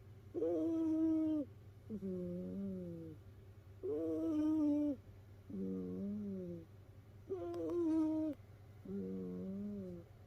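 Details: Domestic cat asleep among rescued housemates in a cat pile, snoring with a squeaky, whistling tone; six regular snores alternate between a higher piping note and a lower wavering one, roughly every two seconds, over a faint indoor hum.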